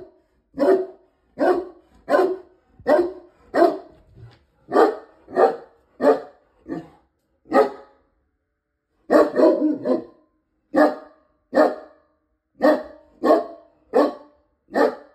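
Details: A dog barks at a delivery person, giving sharp single barks repeated steadily about every half second to a second.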